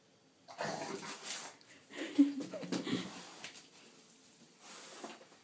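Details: Tulle, a 10-month-old female dog, vocalizes indoors to say she is hungry: a run of rough, breathy grumbles and short whiny tones, mixed with a person talking to her in Swedish in a small room.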